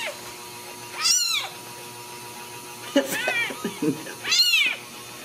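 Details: Ragdoll kittens born and raised in a Kansas home cattery, mother close by, giving three high, curving mews spaced about 1.5 seconds apart, with soft rustling and shuffling sounds in between.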